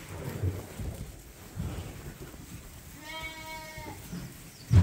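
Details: A single bottle-fed lamb at Ewetopia Farms gives one steady, slightly trembling bleat lasting under a second amid low rumbling background noise.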